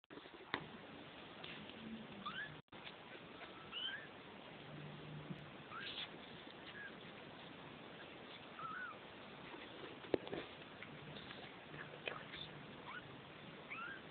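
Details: Two-week-old Neva Masquerade kittens from litter F at the De Lourdes cattery in the Czech Republic give faint, scattered, high thin mews, short rising and falling wails spread across the recording over a steady low background hiss.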